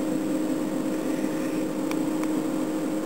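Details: A loud, steady mechanical hum drones throughout, broken only by two brief sharp clicks, with no frog or other animal call audible.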